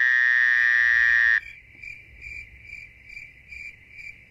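Crickets chirping at night, a loud steady trill giving way to soft pulsed chirps.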